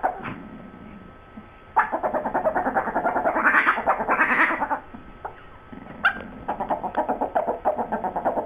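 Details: Two dogs, Sue Ellen and Siv, in a heated exchange over a bone, with rapid pulsed grumbling at about three beats a second, rising yowls in the middle, a sudden sharp yip, then renewed chatter.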